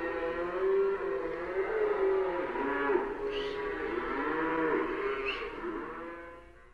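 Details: A herd of cows in a stockyard moo, with long, deep, drawn-out calls overlapping one another.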